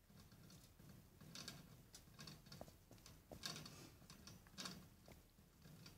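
Gerbils fighting: rapid scuffling and pattering with a few brief, high squeaks.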